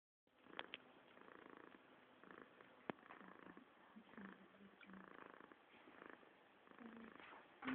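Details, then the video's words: Domestic cat purring indoors, recorded on a phone: a quiet, soft, rhythmic rumble in steady breathing cycles of about one per second, with a few faint clicks and a light rustle near the end. "More purring from Qt"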